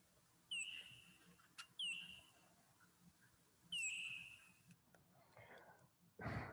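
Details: A Chilean bat's ultrasonic echolocation calls, recorded with a detector and lowered in frequency to audible pitch, sound as sharp downward-sweeping chirps that come faster, with shorter gaps between them, towards the end.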